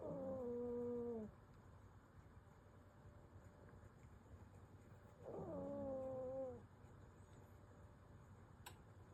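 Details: A sleeping Pomeranian gives two squeaky, whistled snores, each falling slightly in pitch and lasting over a second, about five seconds apart, against a faint background hum.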